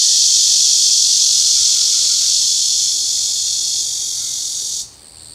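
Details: A cicada gives a continuous, shrill, high buzzing trill that holds steady, slowly fades, then cuts off sharply near the end.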